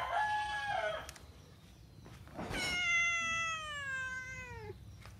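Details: Cat meowing: a short arched meow, a brief noisy burst, then a long drawn-out meow that slides slowly downward in pitch before cutting off. Low background rumble throughout.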